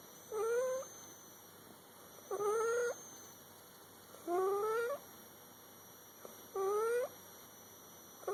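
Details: A sleeping cat snoring indoors, each breath a whistled, rising squeak with stacked overtones, repeating roughly every two seconds against a steady faint high hum.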